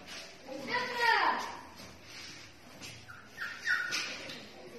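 Pit bull puppies give high, wavering whines and short squeaky yelps.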